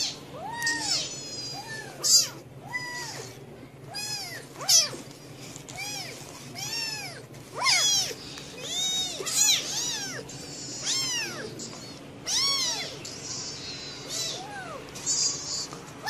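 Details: Several cats meowing incessantly, arched rising-then-falling meows overlapping in quick succession, some high and squeaky, over a constant low hum.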